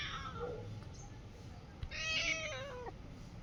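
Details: Domestic cat meowing indoors: a short harmonic meow at the start, then a longer, louder meow that holds steady before sliding downward, with faint room noise behind.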